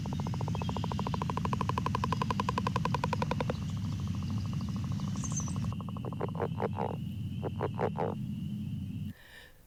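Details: A Northern Leopard Frog calling in a temporary water area in April gives a long, rapid snoring rattle and several low, clucking chuckles; the call is often drowned out by chorus frogs.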